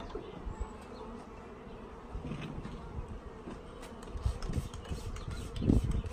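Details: Honey bees swarming in the air of a bee yard as a package of bees is installed; a dense, steady low buzz throughout, with knocks and rustling handling noise growing louder near the end.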